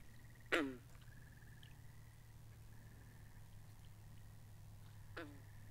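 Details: Frogs by a pond in a binaural recording: two loud, sharp croaks sliding downward, about five seconds apart, over a steady chorus of high trills in long bands, with a low constant hum underneath.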